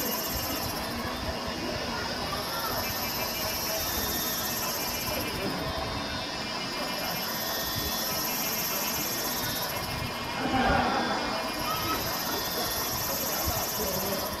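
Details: Kaempfer cicadas at the Valas campground, Namasia district, Kaohsiung, Taiwan, 26 May 2018 at 17:07, filmed on a Canon PowerShot SX720 HS; high whirring drone pulsing in slow waves, people talking and a brief louder rustle near the end.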